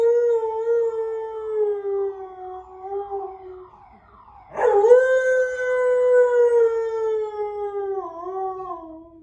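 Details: Benji, a house dog, answers a car alarm outside by imitating the siren in a long, sustained howl that wavers slightly and slowly falls, breaks briefly, then rises into a second drawn-out tonal howl.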